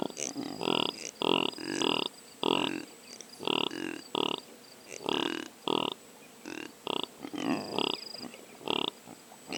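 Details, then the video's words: Impala recorded with a Sony PCM A10 left as a drop rig, uttering a rhythmic series of hoarse, nasal grunts roughly twice a second, with brief breaks, and a thin high tone in the background. "What sounds does the impala make?"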